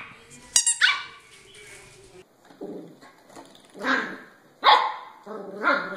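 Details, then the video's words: Barking puppies give short, rough yaps, a loud bark early on and then three or four more spaced about a second apart, with quieter background sounds between them. "Puppies Barking"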